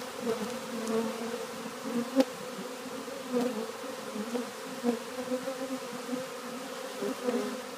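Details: Western honey bees (Apis mellifera) walking into a new hive on 3/7/2013 buzz in a steady, low drone, a dense hum of many wings together.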